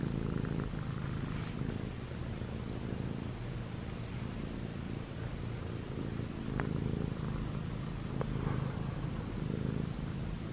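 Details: Kneading on pajamas, the short-legged Munchkin kitten ChoBee, male, white and gray, six months old, keeps up a low, steady purr that swells and eases in waves, with faint ticks of fabric movement.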